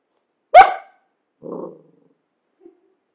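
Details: Cavalier King Charles Spaniel letting out one sharp, loud bark followed by a softer low grumble and a tiny faint yip trailing after.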